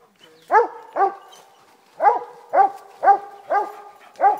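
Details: Walker hound treeing, seven loud, clear chopped bawls at about two per second, each a short ringing yelp with a rising then falling pitch, with small gaps between them.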